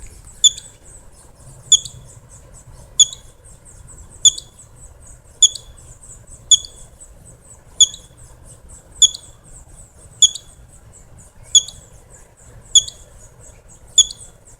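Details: Squirrel hiccups: sharp, very high clicky squeaks repeated at a steady beat about every 1.2 seconds, twelve in all, each a brief bright tick over a quiet background with faint low rumble.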